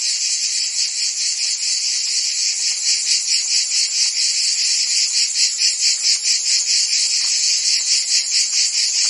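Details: Cricket and insect sounds meant as calming background for sleep and tinnitus: shrill continuous trilling in high layered bands, throbbing a little over twice per second, loud and even, nothing else audible.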